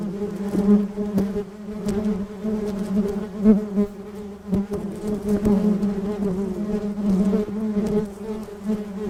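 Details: Western honey bees buzz steadily around flowers, a low droning hum with overlapping wingbeats rising and fading as they pass.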